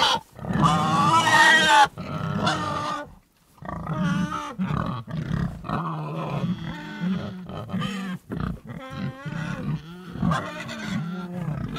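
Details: Pigs make a loud squeal, then a run of short rough grunts and brief squeals in quick irregular succession, several per second, with gaps of near silence.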